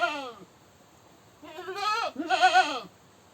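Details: Goat screaming: the tail of one bleat fades out, then two loud, wavering, nasal bleats follow close together, each under a second long, with a brief dip between them.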